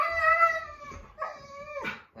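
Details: Siberian Husky indoors making a complaint to dad, a drawn-out harmonic howl-like whine that slides down, breaks off, then resumes with a falling tone and a sharp yelp near the end; a person talks faintly alongside.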